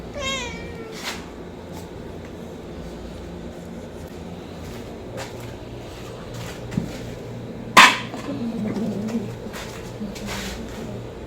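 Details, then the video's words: Homeless kitten meowing for food: one high, arched meow with stacked harmonics opens the recording, then only faint rustling, soft clicks and a sharp knock follow against steady background hum. "homeless Cat's kitten meowing sound effect | Cats meowing for food"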